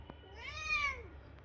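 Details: Pet cat in the morning giving one drawn-out meow that rises and then falls, lasting under a second, over a low steady background hum with faint clicks.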